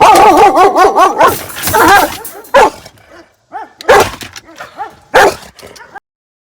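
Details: Aggressive female German Shepherd dog barking from inside her crate before being taken out: clusters of loud, harsh, rapid barks with uneven gaps and short pauses, ending in silence.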